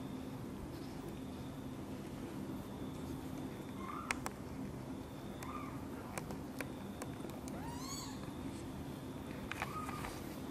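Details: Mother cat angered as her kitten Guitar is helped out of a box and carried close to her; several short, arched, high mews come singly over steady low hum, with a fuller, richer meow near the end and faint clicks and handling noise.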